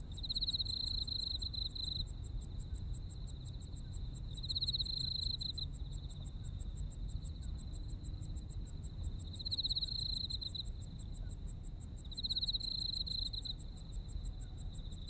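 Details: A Japanese autumn insect chorus: a sustained piercing trill that grows louder in short pulsed bursts, about four across the stretch, with quick regular ticking higher up and steady low-pitched background noise.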